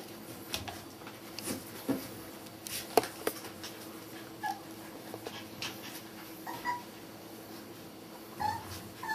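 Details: Border Collie puppies, one of five born at the Sakura Garden dog run in Okayama City, give short high squeaky whimpers around the fourth, seventh and eighth seconds, over steady rustling, clicks and handling noise.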